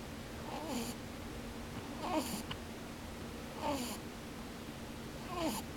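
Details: Pet rabbit snoring while sleeping with open eyes, a "pu-pu, bu-bu" sound: four airy snorts with squeaky downward-gliding whistles, arriving about every one and a half seconds in a quiet room with faint background hum.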